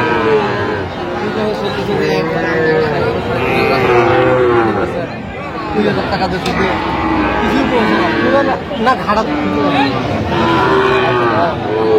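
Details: Sahiwal bull calves for sale at a Brahmanbaria market in Bangladesh, 21 October 2025, lowing again and again in short and longer moos, some rising then falling, amid loud talk of buyers and sellers and general market bustle.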